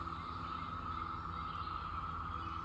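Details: A massed chorus of Brood X periodical cicadas in spring woodland, very loud and everywhere, forms a steady, droning whine that never pauses.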